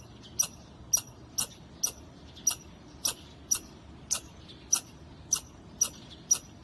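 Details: Steady series of shrill, clipped chips from a squirrel on a wall, one roughly every half second, thirteen in all, evenly paced against low background noise.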